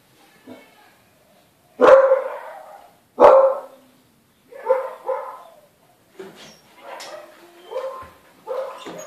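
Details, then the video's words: Confused newborn Siberian Husky puppies let out two strong yelps, then a string of quieter squeaky whimpers and short rising whines, irregularly spaced and fading toward the end. "Confused Cute Husky Puppies"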